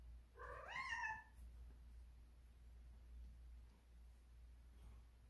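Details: Cat in heat, indoors, making one rising-then-falling harmonic meow lasting under a second, followed by quiet with a low steady background hum.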